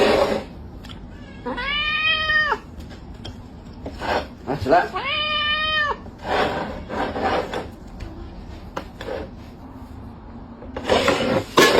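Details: Domestic cat caught stealing food gives two drawn-out, clearly harmonic meows, each about a second long with a level then falling tone. Quieter rustling and voices fill the gaps.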